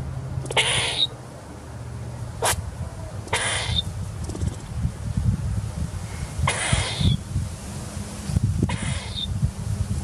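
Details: Squirrel feeding, recorded 10/10/2019, giving four short, sharp squeaks about every two to three seconds. Each is a brief noisy burst with a thin high tone that drops slightly, over a steady low rumble in the background.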